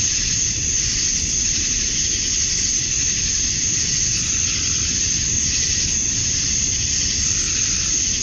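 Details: Male cicadas chirping to attract females at dusk on a summer night in Georgia, USA: a steady, shrill high-pitched drone with gentle swells every couple of seconds, over a low rumbling background.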